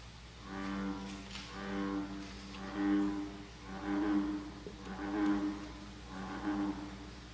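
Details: A recorded American bullfrog call of deep, resonant droning notes about once a second; bullfrogs call March to August from lakes and ponds, usually permanent water.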